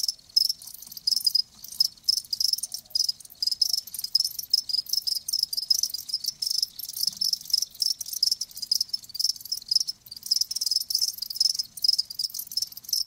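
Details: Dense, high-pitched trilling from live crickets, pulses packed closely and almost continuous, with only short breaks in the shrill chorus.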